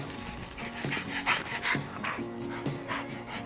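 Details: Pet dog panting beside its owners as they get their camper van ready to ship from the UK to Canada; soft rhythmic breathy puffs, about two or three each second, over quiet steady background music.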